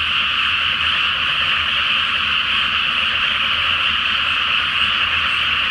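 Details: Nighttime frog chorus from a flooded Japanese rice paddy before planting, beneath a full flower moon; countless croaks merge into a constant, steady buzz of sound.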